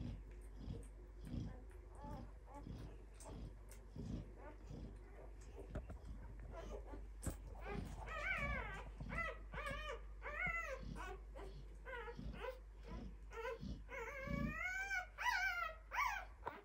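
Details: Two-day-old Clumber Spaniel puppies in a litter, whimpering with thin, wavering whines that rise and fall, coming in quick runs in the second half over a soft, low, pulsing thump.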